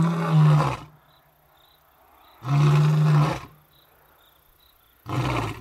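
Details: Two male lions, brothers about 8 years old, roar in Africa. Their deep, rumbling roars come in heavy bursts about two seconds apart, announcing to the surrounding animals that the area is their territory.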